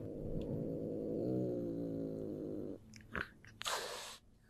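A domestic cat gives a low, rumbling growl, a warning to back off when angry or threatened.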